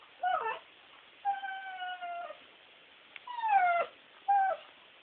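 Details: Guinney the bulldog cries, possibly for treats or while watching TV: short high whimpers, then longer steady whining tones that slide slightly downward, with pauses between them and a final short whimper.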